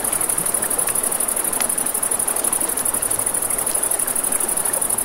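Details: Continuous high-pitched cricket trilling by a river after dark, fast even pulses over a wash of running water, with occasional crackles from a campfire.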